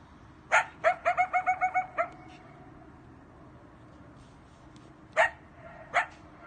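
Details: A coyote at night gives a quick run of sharp, high yips, then two more single barks after a pause.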